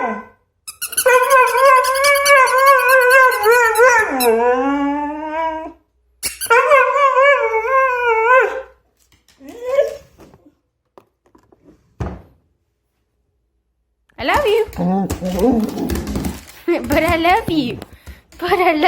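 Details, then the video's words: A household dog howls in long, sustained, wavering tones, one of about five seconds and another of about two and a half, then gives a few short yelps before a rougher, broken stretch of noisy vocalizing. "Wait for it wait for it *insert dog noise here*"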